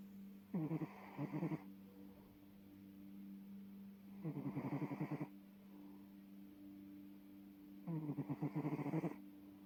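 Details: Sleeping Bengal cat snoring; three rough, fluttering breaths roughly every three and a half seconds, each about a second long, over a constant low electrical hum.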